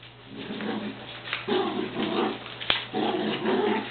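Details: Two beagles, Shiloh and Sam, playing tug-of-war with a sock indoors; low rumbling growls come in short bursts, with a sharp click partway through.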